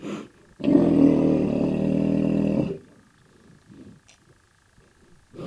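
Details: A black rhinoceros (Diceros bicornis) gives a loud, harsh, rumbling bellow lasting about two seconds, an aggressive call.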